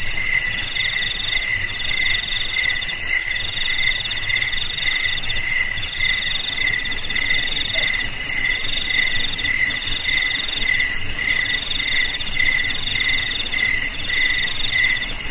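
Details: Cricket sound meant as a rat repellent for homes, garages, storehouses and rice fields; dense high trilling layers held steadily, with rhythmic pulses around two per second over constant insect buzz.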